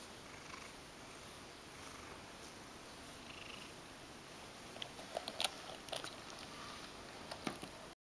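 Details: Mojio, a Ragdoll cat, enjoying a brushing session and feeling good enough to expose its belly, purrs in a continuous low drone, while scratchy brush strokes and small clicks break in during the second half.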